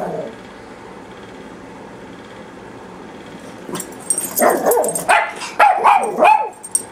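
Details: Two papillon dogs barking: nearly four seconds of quiet room noise, then a burst of sharp, high-pitched yappy barks in quick succession over the final three seconds.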